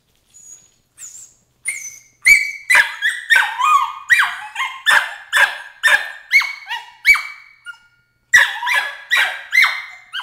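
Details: Emily, a 13-week-old Border Collie puppy, protesting crate training with a rapid run of shrill, screaming yelps, each sharp and falling in pitch, coming roughly twice a second after a few faint opening squeaks.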